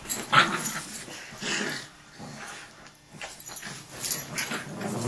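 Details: Dogs scrapping, with a sudden sharp snap at the start, then choppy growls and whiny grumbles alternating with brief quiet gaps.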